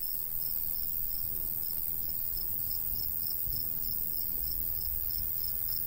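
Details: Crickets of a summer countryside wheat field in a light breeze; steady high pulsed chirping at an even pace sits over a persistent shrill drone, while low wind rumble dominates the loudness.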